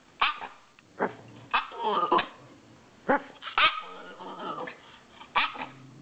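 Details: Norwich terrier male, awake after a nap and missing his owner, sends out sharp high yaps about once a second, several trailing into brief whiny tones, with quiet gaps between bursts.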